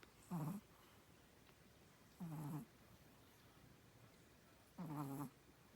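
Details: Three rough, low snorting snores from a sleeping Chihuahua, each lasting about half a second, with a buzzy, slightly wheezy tone and long quiet gaps between them.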